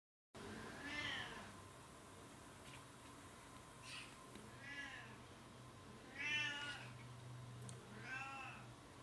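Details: Domestic cat named RU*Meekahoo Giperion, from a cattery of oriental and Siamese cats, meowing indoors: four drawn-out, bright, harmonic meows about two seconds apart, each briefly rising then falling, over a low steady hum.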